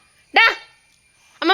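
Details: Labrador Retriever named Simba, a pet jackfruit eater, gives two short, sharp, harmonic-rich barks about a second apart, the first falling off quickly and the second cut off abruptly, in a quiet room.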